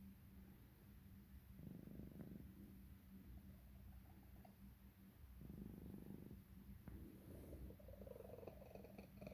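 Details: Female cat with X-ray-confirmed throat tumors purring in a deep, even drone, interrupted by two longer raspy wheezing breaths and a few sharp clicks from swallowing.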